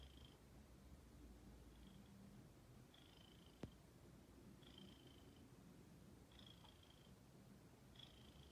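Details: Steady low purr from a female house cat called Ginger; a single sharp click sounds midway, and thin high whistles recur about every second and a half.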